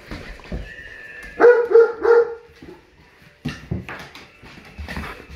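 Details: German Shepherd puppy howling in reaction to tornado sirens: three short wavering, tonal howl notes in quick succession mid-clip, with a steady siren tone behind and a person speaking softly.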